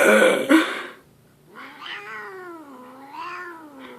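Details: A loud human burp opens, then grumpy cat Leo answers with a wavering, undulating yowl that dips and rises over about two and a half seconds, a complaint he makes out of the blue.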